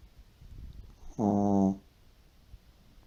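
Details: A deeply sleeping pet Shih Tzu lets out one harsh, droning snore of about half a second, steady in pitch with dense buzzy harmonics, between stretches of near silence in a quiet room.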